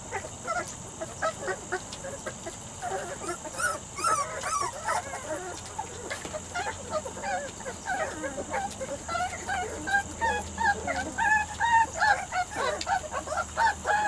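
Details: Three-to-four-week-old Weimaraner x Vizsla puppies from Biscuit's litter whining in a group, short chevron-shaped yips and whimpers repeating rapidly, denser and louder in the closing seconds.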